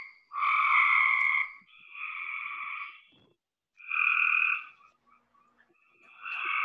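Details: Cope's gray tree frogs from Georgia giving a belch-like trilly call, one frog first, then others chiming in: loud buzzy trills of about a second each, separated by short gaps, overlapping at times.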